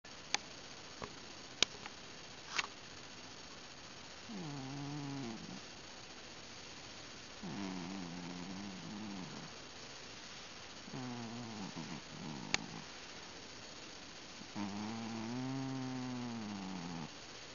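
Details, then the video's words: Pet cat asleep or drifting off indoors, being petted, making an unusual grunting, whimpering sound: four low, wavering, moaning grunts about a second long each, spaced a few seconds apart, with faint clicks and handling noise early on. "This Cat is SNORING? ...Mumbling? ...Something? Weird."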